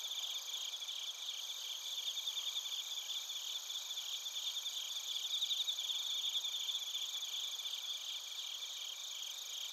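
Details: Recorded on a TASCAM Portacapture X8 in Narita, Chiba, Japan, a chorus of suzumushi bell crickets and other crickets keeps up continuous shrill trilling, with bright pulsed chirps swelling briefly near the middle over a steady high ringing drone.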